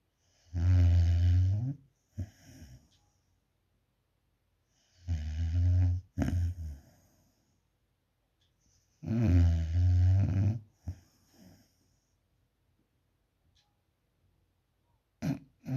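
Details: Alfa, a puppy, sound asleep and snoring: deep, rumbling snores in long drawn-out bursts about four seconds apart, each followed by a short softer breath, with quiet pauses between.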